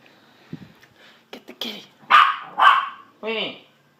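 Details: Pet dogs named Sausage and Weenie, urged by a person to get the kitty: a few soft clicks and yips, then two loud, harsh barks about half a second apart and a final tonal, yelping bark.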